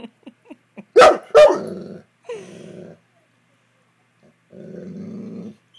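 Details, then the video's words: A pet Saint Bernard vocalizes to its owner as if trying to tell her something. Two quick, loud harmonic yelps are followed by lower murmured sounds and soft speech-like mumbling. "Saint Bernard trying to tell me something!"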